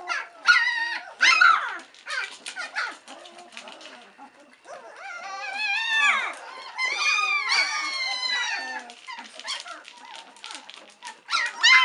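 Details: White Swiss Shepherd pups, three weeks old, awaiting mum Cova's return for feeding; sharp yelps early, a quieter stretch, then a chorus of drawn-out, bending whines from several puppies and a final squeal.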